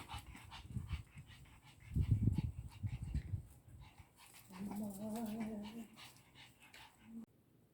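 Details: Mikan, a 13-year-old female Pekingese pet dog, sneezing repeatedly indoors: a cluster of short snorting bursts, then a brief whimpering tone with stacked harmonics, a woman speaking softly nearby.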